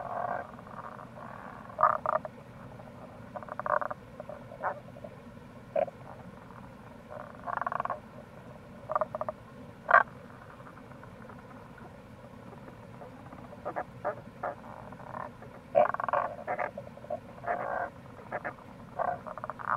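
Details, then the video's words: Wild Rana tagoi, Tago's brown frog, in April at the Kamo River gorge, Itoshima, Fukuoka, Japan: short rasping croak bursts scattered irregularly, some in quick pairs, over a constant rushing-water background. "Wild Frog Call | タゴガエル"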